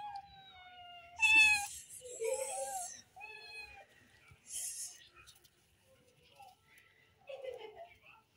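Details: Hungry kittens meowing while being fed cheese indoors; several high, harmonic meows with falling and rising pitch, including a loud strained one, separated by short pauses, with a few faint background noises.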